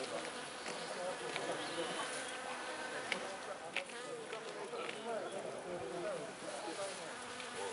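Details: Japanese honey bees crowding cherry blossoms in Niigata, Japan, warm spring day, 15 April 2020; faint, even hum of a large swarm with overlapping wingbeats and a few brief clicks.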